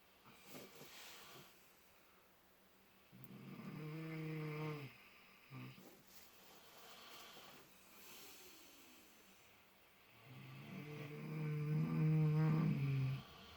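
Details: Two miniature potbellied pigs, Clutch and Penelope, sleeping and dreaming in fresh straw, snore in deep relaxation: low droning snores around 3 to 5 seconds and again near 10 to 13 seconds, with soft breathing between.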